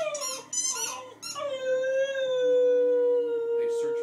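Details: Pet dog's howl: after short choppy yelps, a long, smooth tone slides gently downward and is held steadily for over two seconds, with a rough burst near the end.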